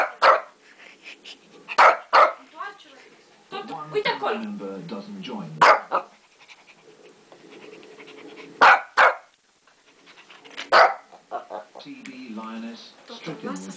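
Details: Shih Tzu barking at lions on television: short, loud barks, singly and in pairs at irregular intervals, mixed with a male narrator's speech and soundtrack from the wildlife program.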